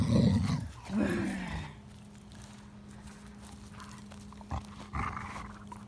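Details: A male English Springer Spaniel chewing on a stick growls in a deep, gravelly rumble, two throaty bursts in quick succession. Afterward only a steady electrical hum and a few faint clicks remain.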